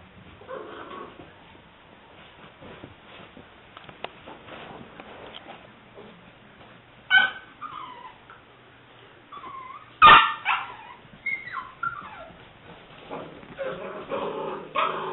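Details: Liver and white tri-color English Springer Spaniel female puppy, aged seven weeks, recorded 5/18/09. Quiet rustling at first, then wavering high whines and squeaky yelps from about seven seconds, growing busier and more insistent in the last five seconds.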